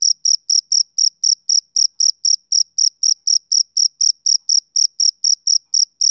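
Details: Male cricket on a summer evening, giving clean, high-pitched chirps in a steady train of about four per second with short silent gaps between them; no other sounds.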